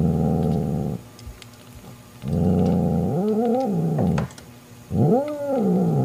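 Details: Angry mother cat Mocha warning off her jealous sister Kofi over a newborn kitten indoors: low rumbling growls that bend upward into two wavering, rising-then-falling moaning yowls.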